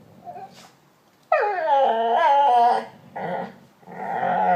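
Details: Domestic dog 'talking' with a drawn-out, moaning vocal sound: a sudden loud whine that slides downward and wavers for about one and a half seconds, then two shorter groaning phrases after brief pauses.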